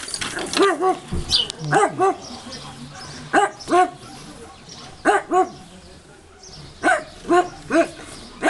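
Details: A dog barking at a person walking near the house: loud, harsh barks delivered mostly in pairs, around fourteen in all, separated by short quieter gaps.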